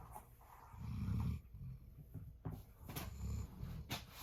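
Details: Jindo dog snoring: deep, rumbling breaths swell and fade about every two seconds, with a few sharp clicks and small knocks between them.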